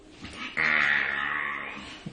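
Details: Pet dog giving a strange sound as it is touched, indoors. A single sustained high whine starts abruptly, holds steady for about a second, then slowly fades and drops, with faint rustling before and after.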